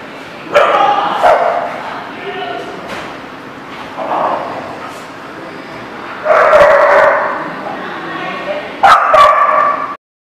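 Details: Barking in a dog lot, sharp barks at the start, a longer burst around six to seven seconds and another near nine seconds, mixed with background voices and a busy hum before the sound cuts off.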